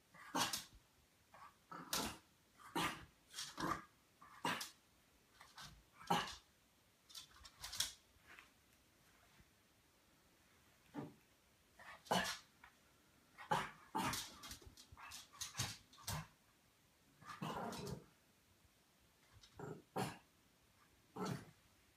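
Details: French Bulldog puppy playing with a British Shorthair cat indoors in a small room; short, sharp bursts come in quick irregular runs, about one per second, separated by brief quiet pauses.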